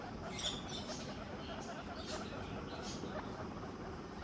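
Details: Guinea pigs wheek and squeak in short, high calls over a steady background hiss as soon as the owner enters.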